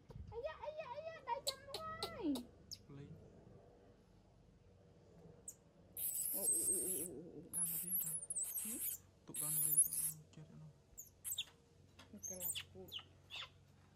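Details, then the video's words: Newborn monkey responding to its mother with a run of wavering, harmonic, whining coos rising and falling over two seconds, followed by bursts of rustling, clicks and handling noise with a few softer calls in between. "Baby Monkey Talking Respond Mom"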